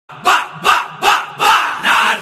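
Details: Dolly, a German Shepherd, barking: five loud, deep, rough barks in a steady series, roughly one every 0.4 seconds, with no other sounds between them.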